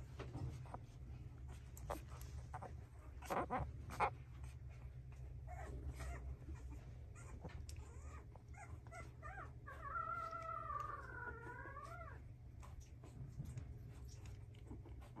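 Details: French Bulldog indoors, a young dog offered by a breeder; quiet scattered snuffles and soft whimpers, then a wavering two-second whine with a rising and falling tone near the end, over a steady low hum.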